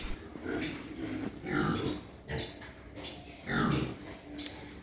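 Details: Pigs at a white pig farm in Hooghly district, West Bengal, India, on a morning walk around the pens: harsh grunting and squealing bursts roughly every two seconds, with a faint human voice between them.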